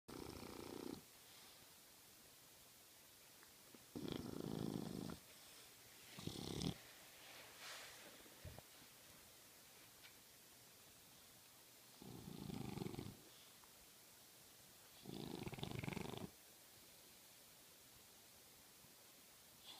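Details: A sleeping French Bulldog snoring loudly: rough, breathy noise bursts about one second long, coming at irregular intervals of two to four seconds, with quiet room hiss between them.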